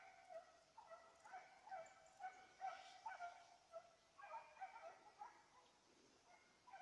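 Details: A Petit Basset Griffon Vendéen chasing a rabbit on 05/10/2014 gives steady, high-pitched ringing yelps in quick succession, more than two a second, sounding somewhat distant.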